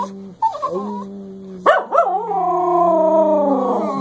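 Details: English Cocker Spaniels Cleo and Xanadu sing a howling duet. A low, steady tone is held throughout while a second voice yelps sharply, then swells into a loud, sustained, slightly wavering howl.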